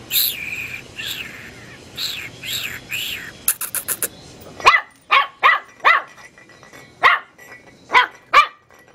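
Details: Teacup Chihuahua puppy yapping at a light bulb. Some earlier squeaky sounds give way to a string of short, high, clipped barks spaced roughly half a second to a second apart in a quiet room.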